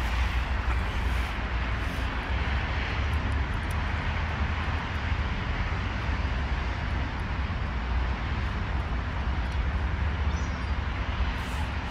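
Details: A steady, deep engine roar like a passing propeller aircraft fills the recording, with no animal voices.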